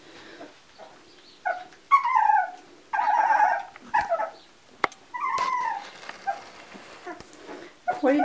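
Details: Two-week-old Labrador Retriever puppies of a litter whimper and yelp indoors; several short falling squeals and whines come in bursts, with a woman talking softly to them between calls.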